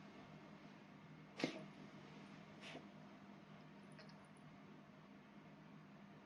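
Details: Female Bengal cat Bell, a house cat with a cold who dislikes the vet, gives one sharp, breathy cough burst, then a fainter second cough about a second later over a steady low indoor hum.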